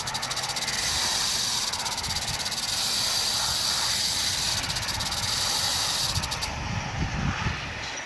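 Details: Continuous hissing buzz of a rattlesnake shaking its rattle, recorded 1 July 2018; the sound holds level throughout, with short bursts of rapid pulsing, and cuts off sharply at the top end near the close.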